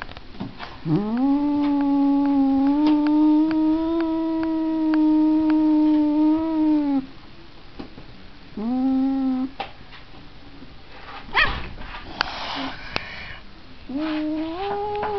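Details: Domestic cat giving a prolonged six-second wail with a scooping start, a shorter mournful cry after a pause, handling noise and a rustle, then another rising yowl; small indoor room.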